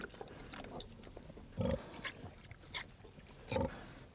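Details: On a farm, a hungry sow in her pen at feeding time gives two deep, rough grunts about two seconds apart, short and throaty, over soft pen sounds.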